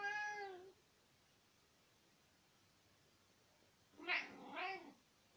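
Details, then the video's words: Indoors in spring 2020, the 18-year-old tomcat Nicki chats with his owner, giving a falling meow at the start, then after a pause a louder, rougher double meow that rises and falls, with nothing else heard. "Kater Nicki erzählt - miaut"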